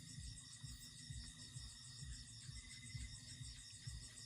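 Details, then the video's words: Crickets chirping outside a farmhouse yard at night after heavy rain, a steady high shimmering trill holding several even pitches without pause, with soft low thumps repeating about once a second beneath; frogs are also said to be calling nearby. "Kanina, malakas ang ulan kaya maririnig mo doon sa labas yung huni ng mga kuliglig,"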